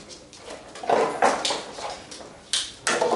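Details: Young Labrador Retriever puppies of a B litter romping and fooling around together; brief high-pitched squeaky yelps in quick bursts, mixed with rustling and scuffling noises.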